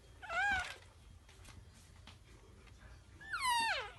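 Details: Young cat calling from the litter box indoors, giving two distinct meows; the first brief and level, the second drawn out and sliding downward at its close, with a soft shuffle between them.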